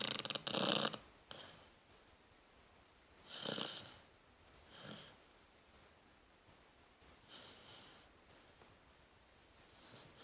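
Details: Rottweiler puppy asleep and snoring in a quiet room, giving a few airy, wheezing rasps spaced several seconds apart, the first one loud and crackly, the rest fainter and breathy.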